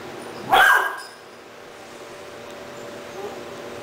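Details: Three-month-old Doberman puppy named Rahab, indoors in Cebu City, Philippines, October 2009, reacting to a stuffed toy puppy as if it were a real dog; a single sharp bark, then quiet room hum.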